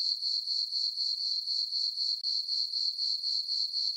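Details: Crickets chirping on a peaceful summer night in a farm meadow under a full moon and dark skies; a steady high-pitched trill pulsing about four times per second, with nothing else audible.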